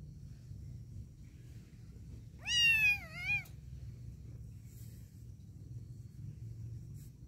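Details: Happy kitten meowing while playing and cleaning itself: a single clear meow lasting about a second, rising then falling with a wavering end, followed by a short softer tail, over quiet low room hum.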